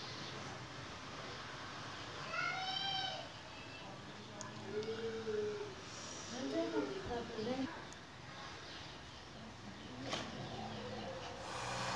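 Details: Kittens meowing while eating chicken meat: several high, harmonic meows, some rising and others wavering, come in about three bouts across twelve seconds over a steady background hiss.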